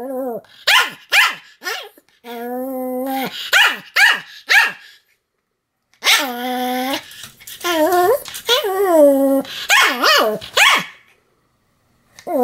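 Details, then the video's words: Pomeranian named Sam barking continuously, recorded 7 October 2015: sharp high barks in quick bursts alternating with longer whining, yelping tones, repeated roughly twice a second with short silent gaps. "犬の鳴き声 ポメラニアン サムの連続吠え"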